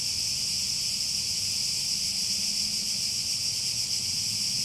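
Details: Cicadas singing together in one unvarying high-pitched buzz, dense and hissing, steady from start to finish over a quiet low hum.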